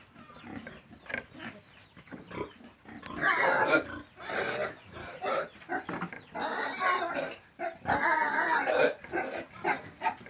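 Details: Pig giving a busy run of short, rough grunts and snorts, closely packed with uneven spacing, some louder and harsher bursts, with a faint voice in the background.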